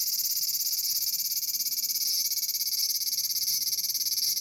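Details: Aburazemi, the large brown cicada of Japan, calling from a persimmon tree: a dense, harsh, high sizzle with a fast wavering throb, about three or four pulses each second, continuous throughout.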